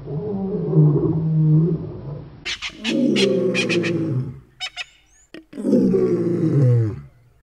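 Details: African lions, two young males near Boyela Waterhole in Kruger National Park, roaring in long, deep, drawn-out moans that rise then slide down, broken by sharp clicking knocks between bouts.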